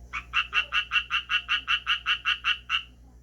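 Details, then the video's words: Calling Japanese tree frog: a short burst of about a dozen loud, rasping croaks in quick, even succession, then the series ends and fades into quiet. "청개구리 울음 소리"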